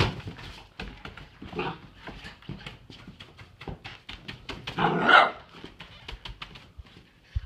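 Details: Doug, a pet dog indoors in a small room, barks in protest as his toys are being cleaned up; a softer bark near the start, then a louder, harsher bark midway, with clicks and taps around him.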